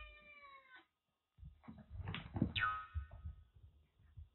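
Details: Kitten Jura, rescued in heavy rain with a bad cat flu and now playfully taking on a much larger senior cat indoors: one steady meow, then thumping scuffles and a brief falling cry amid bumping noises.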